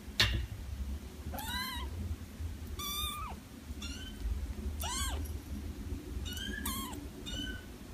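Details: Cat meows, five or six arched calls spaced about a second apart, each rising then dropping, over a steady low rumble of background noise.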